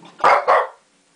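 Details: Shih Tzu indoors barking at lions on television: two loud, sharp barks in quick succession, a quarter second apart, then silence.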